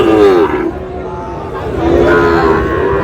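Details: Sahiwal bull calves at a market where a Tangail farmer is buying, 20 August: a short moo opens, a quieter pause follows, then a second lowing call rises and fades beneath voices calling out prices.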